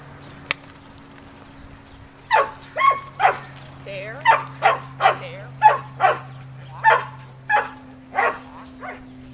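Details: Cammie the sheltie herding sheep near Sacramento, California, on July 25, 2010; after a two-second lull with a single click, evenly spaced sharp barks follow about every half second, some with a short whine between, over a steady hum.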